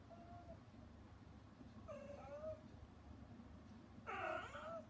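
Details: Mother cat shut out from her kittens during their weaning meal, calling toward them through frosted glass; three meows, a faint short one, a wavering middle one and a loud harsh drawn-out final cry, against a low indoor hum.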